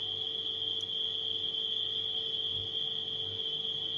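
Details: Nighttime crickets sounding as a steady, unbroken high-pitched trill, mixed with the low, constant hum of a refrigerator.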